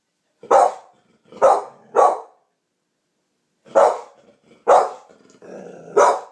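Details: Pit Bull Terrier with a champagne coat reacting to an unfamiliar noise with six forceful barks, three quick ones, a pause of over a second, then three more, the last pair separated by a softer whine.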